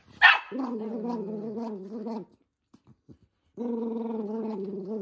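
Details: Toy poodle, the household's eldest son, furious while socks are put on his feet: one sharp yelp, then a long, rough, droning growl, a pause with faint rustles, and a second sustained growl starting up.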